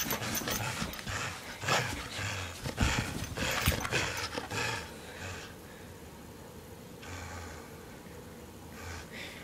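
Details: Lewis, a dog playing tug of war, gives rough, noisy growls in quick uneven bursts for the first half. The sound then fades to quieter breathy noise with a few short bursts later.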